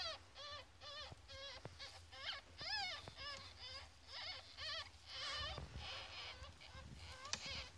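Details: Fourteen-day-old ferret kits give a steady series of high, wavering squeals. Each squeal rises, then falls, and they come about twice a second with brief gaps, over faint rustling and soft thumps of handling.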